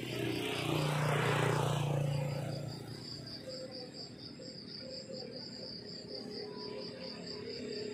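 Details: Crickets chirping in the countryside in the morning, a steady high pulsed trill repeating about four times a second; a vehicle rumbles past loudly during the first three seconds, then fades.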